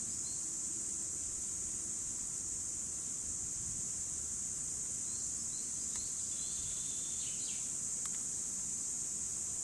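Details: A 2017 recording of cicadas: an even, piercing hiss-like buzz that never pauses, with a few faint bird whistles and two sharp clicks midway.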